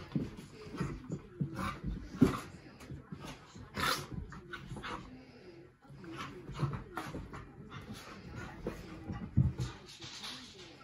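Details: An English Bull Terrier gives low, rumbling growls and snorts in bursts while horsing around in rough play with its Scottish Terrier companion.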